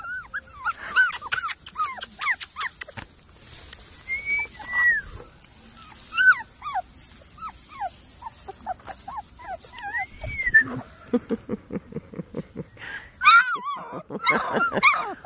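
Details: Kasha, a female Porti-Doodle puppy (Portuguese Water Dog crossed with Standard Poodle), gives many short, high, arched whines and yelps in quick runs, with softer pauses between bursts and some background noise.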